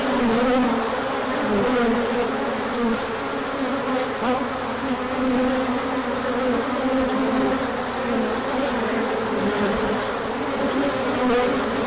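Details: A crowd of bees takes a big orientation flight on 24 March 2024 in the first sun after a chilly stretch. A constant, layered drone fills the air, with overlapping buzzes weaving slightly in pitch.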